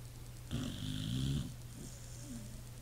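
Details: Sleeping pit bull gives a single loud, rumbling snore lasting nearly a second, then a softer snuffling breath trails off against a constant electrical hum.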